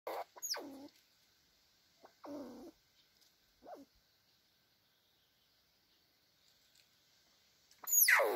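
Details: Red squirrels asserting dominance, showing who is boss: a few harsh squealing calls, each sweeping steeply down from high to low pitch, spaced with pauses of one to three seconds and a louder final squeal.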